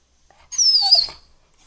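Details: Labrador Retriever puppy indoors producing one high, thin whine lasting about half a second, wavering slightly and then fading.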